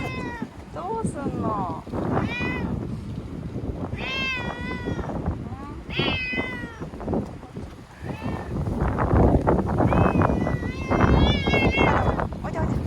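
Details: Timid ear-tipped cat sheltered in a bathroom as Typhoon No. 10 approached Okinawa in September 2020, crying and thrashing: repeated wavering meows every second or two, mixed with thumping, rustling and low background noise.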